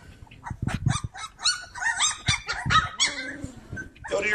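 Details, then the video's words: Cane Corso puppies playing, with high yelps and squeals mixed with low scuffling thumps and rough growly noises in a busy, overlapping jumble. "Bunch of Yipping Puppies!"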